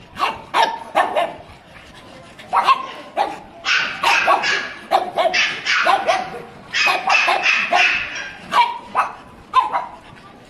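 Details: A pug barks and yips in rapid, excited runs, about two to three sharp barks per second, some higher and thinner like yips, keeping up steadily throughout with no long pauses.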